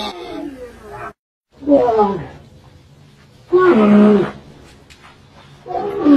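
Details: Camel calling with loud, rough harmonic groans in three bursts about two seconds apart, each swelling then dropping away, separated by quieter rumbling stretches and a brief full silence near the start.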